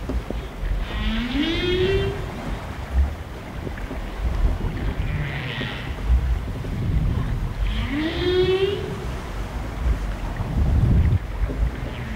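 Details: Humpback whale singing, heard aboard a boat; a mating song with repeating refrains, said to repel rivals and attract females. Two rising moaning upsweeps with faint higher harmonics, under heavy rumbling boat and wave noise.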